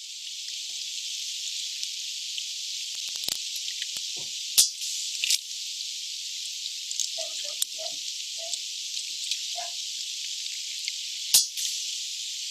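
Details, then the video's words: Sharp, broadband sperm whale clicks at irregular intervals over a steady high hiss, off Bahía Solano, Colombia; the whales use these clicks to communicate and to echolocate while hunting. "so what you're hearing is the clicks of a sperm whale"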